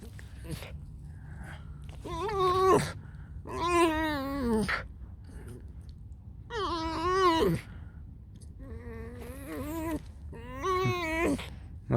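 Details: Alice, a pet fox, just woken up, gives a run of wavering, whining squeaks in bursts of about a second, some rising then falling, with quiet gaps between and soft background music.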